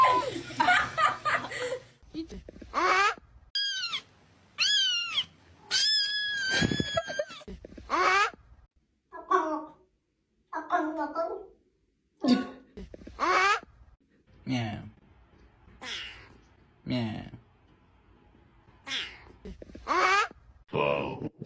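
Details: Domestic cats from a collection of funny cat noises: short, clear meows, some rising and falling and some squeaky, separated by pauses, with people talking and laughing in a small indoor room.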